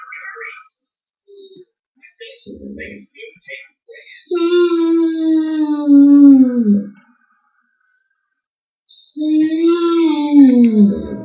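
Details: George, a Gordon Setter, howling: after a stretch of quiet talk, a long wavering howl that slides downward over about three seconds, then breaks off and returns as a second drawn-out, falling howl.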